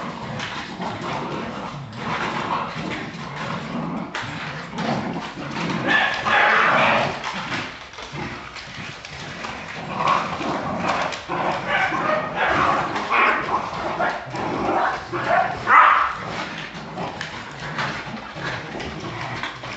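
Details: Jagdterriers in Brazil barking in an irregular, busy stream of rough barks and yelps over about twenty seconds, with a few sharper high yaps and some clattering noise beneath.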